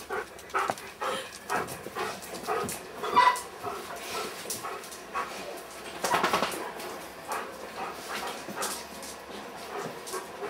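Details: Weimaraner puppies at 30 days old, a litter born to Kiss and Quest, recorded 6 December 2012; brief soft whimpers and squeaks rise at intervals through a busy patter of scratching, tapping and shuffling movement.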